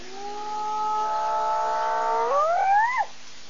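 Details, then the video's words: A female hyena gives a long, steady, operatic tonal note that sweeps sharply upward at the end. "girlie operatic hyena call 5-1"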